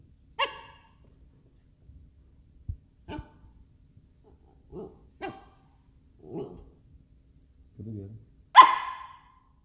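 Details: Miniature Schnauzer; bark; asking to play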